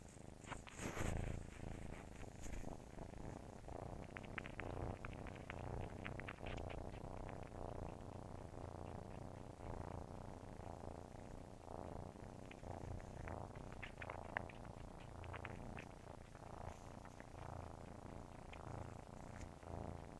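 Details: Nursing kittens purr steadily, a low continuous rumble with soft rhythmic pulses throughout.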